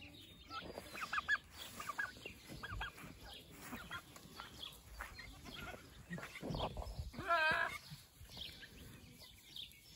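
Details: Nigerian Dwarf goat bucks on a homestead, fighting over a nanny in heat after one learns she has been bred. Scattered harsh, broken calls build to a loud wavering bleat late in the clip, over constant background noise.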